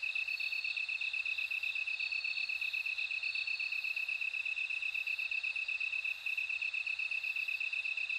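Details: Bell crickets in chorus. A dense, regular, rapidly pulsing high tone continues without pause, while fainter ringing trills above it come and go.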